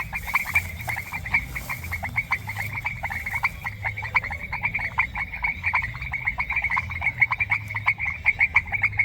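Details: Several frogs croaking in a semi-humid rural pasture, natural sound only: quick trains of sharp, ticking croaks repeat and overlap without pause, with a faint low hum beneath.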